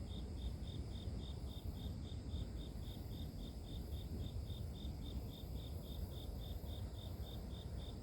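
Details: Sleep-inducing nature sound of grass insects: one high-pitched chirp repeats evenly, close to four pulses each second for the whole stretch, while a dense low-frequency rumble fills the background.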